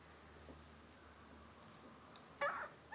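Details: Rhodesian Ridgeback puppies, 12 days old, indoors: soft background rustling, then one short, high, tonal whimper late on, followed by the start of another squeak at the very end.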